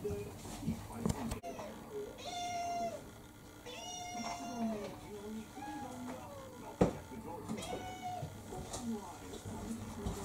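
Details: Kurumi, a roughly four-year-old orange tabby mixed-breed house cat, pesters for dinner with three or four drawn-out, arching meows spread across the stretch, a human voice and household noises running underneath.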